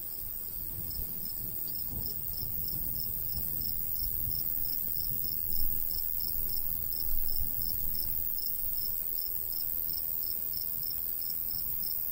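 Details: Crickets in a summer countryside beside a golden wheat field, a steady train of short high pulses repeating regularly, about two to three per second, over a constant high hiss and low rumble of light breeze.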